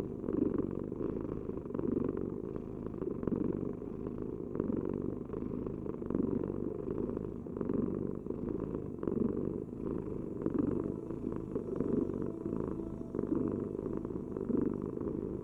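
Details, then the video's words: A cat purrs on and on, its low buzzing rumble rising and falling with each breath in an even rhythm, heard intimately close with nothing else in the background. "Heal with the ultimate cat purring vibration"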